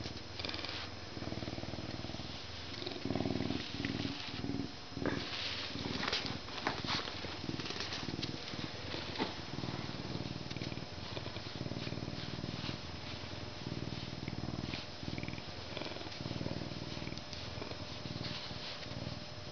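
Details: Canada lynx, a captive animal, purring; low rumbling pulses come in uneven bursts, with a few brief sharper sounds that might be mews near the middle.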